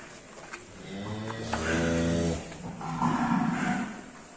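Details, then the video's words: Agitated, rampaging cattle in a pen; a deep, drawn-out moo with a strong, steady tone lasting over a second, then a rougher, higher bellow, with a man speaking and background murmur. "SAPI NGAMUK SUPER BRINGAS"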